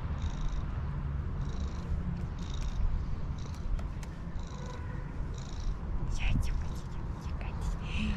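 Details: A female domestic cat with white socks purrs in a steady, low, rhythmic rumble, greeting her owner after missing them and rubbing against their hand with little jumps.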